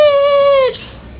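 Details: A dog making a weird noise indoors: a single sustained, steady whine-like tone lasting under a second, very clean and harmonic, dipping slightly at the end before falling quiet.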